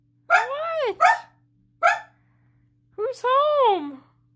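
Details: Pet dog indoors barking at its owner, who stayed put when the mother came home, because it wanted out of the room; loud, drawn-out, arched yowling barks, two close together then one short and one long, with a person talking.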